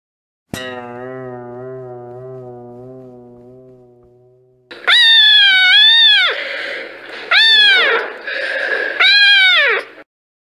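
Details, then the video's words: After a long, fading harmonic tone, loud drawn-out meows from kittens: three strong cries, each rising, holding steady and dropping at the end, separated by short pauses. "Gatinhos Miando - Som de Gato"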